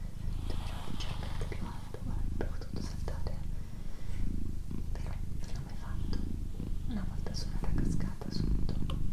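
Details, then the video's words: Indoors, the female cat Doroti gives a steady low purr, its rumble swelling slightly in places, while soft whispering and small handling noises drift over the top. "ASMR Cat Purring & Whispering"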